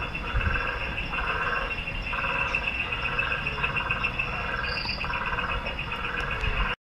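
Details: Sentry meerkat guarding its group against birds of prey at a West Midlands safari park, England; a regular series of brief harsh pulsed calls, roughly one per second, over a steady hum with a faint high chirp midway.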